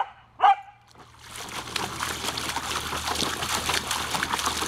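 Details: Samoyed named Savannah, a pet who loves water, playing with a garden hose on a hot summer day by her pool. One sharp, loud bark near the start, followed by steady hissing and splashing of water from the hose.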